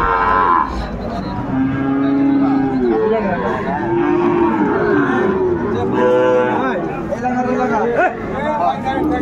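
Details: Sahiwal bull calves at a busy cattle market in Chattogram, Bangladesh, on 13 December 2024: drawn-out, wavering moos rise and fall over steady crowd chatter and bargaining voices.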